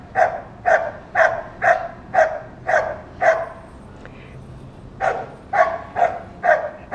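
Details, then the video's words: Barking of a dog that keeps on through the day at passing children and strange dogs: steady, evenly spaced harsh barks roughly two per second, a brief gap, then another burst, over quiet outdoor background. "Собака лает целый день!"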